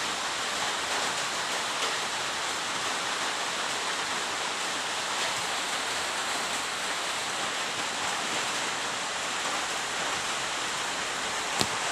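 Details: Steady rushing hiss like a waterfall or stream fills the whole clip, with one sharp click near the end and no animal voice.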